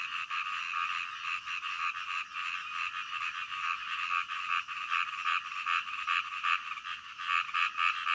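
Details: Frogs croaking deep in the night, a continuous layered chorus, with several louder nearby calls standing out as sharp repeated notes toward the end.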